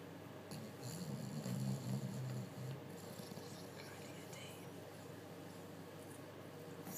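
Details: Sleeping bulldog Betty, resting after a busy day, gives a low, rumbling snore that swells for about two seconds, then the room falls quiet with faint background hiss and small clicks.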